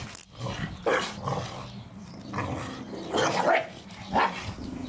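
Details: Playing Staffordshire Bull Terriers in a garden, allowed to destroy their first Christmas ball: a few sharp, separate barks about a second apart, between low growling and scuffles.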